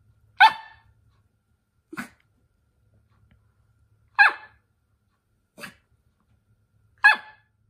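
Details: Toy poodle at home, getting carried away and making a racket before being scolded by its little sister: five sharp, bright barks at uneven gaps of one to three seconds, alternating loud and softer, with a quiet room otherwise.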